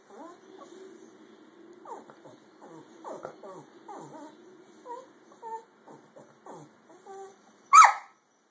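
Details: Pet dog making cute squealing sounds: a drawn-out thin whine at first, then a string of short rising squeaks spaced under a second apart, ending in one loud sharp squeak, indoors and quiet otherwise.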